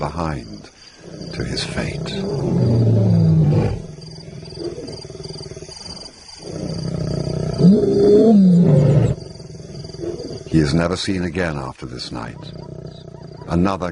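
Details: Lions roaring in another lion's territory, a deep insult as two intimidating new arrivals challenge Simba on his turf; low, drawn-out rumbling roars in two long bouts, with narration breaking in near the end.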